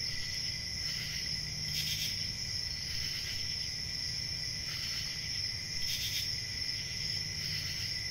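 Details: Night chorus of crickets: constant shrill ringing trill held throughout, with short louder bursts roughly every two seconds and a faint low hum beneath.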